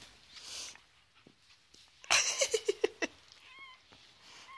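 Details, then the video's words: Foster chihuahua puppies, three weeks old, playing with huskies: a sudden noisy burst, then a quick run of five or six sharp little yips, followed by thin rising whines; a woman's voice nearby. "Cute chihuahua puppies playing"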